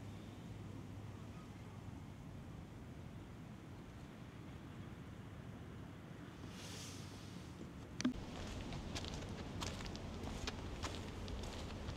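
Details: Outdoor wind and a low engine drone, with scattered knocks and footsteps in the second half, and no animal voice.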